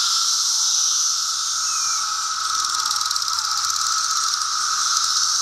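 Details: Chorus of 17-year Brood II periodical cicadas in Virginia in June 2013, bright day, insects gathered in apple trees: a continuous dense shrill drone, with a steady lower buzz beneath a high hissing band and faint overlapping calls.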